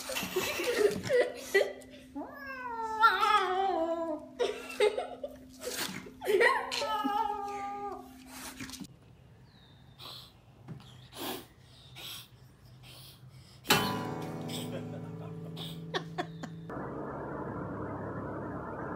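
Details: Angry, aggressive domestic cat giving drawn-out growling yowls with stepped, wavering tones in several bursts over the first half, followed by scattered knocks, thumps and a steady hum, with a person's voice at times.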